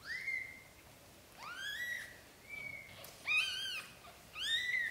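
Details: Black golden British Shorthair litter, newborn, during the mother's carrying of kittens into a small nest. Four or five thin, whistle-like cries, each sweeping upward then leveling, spaced about a second apart.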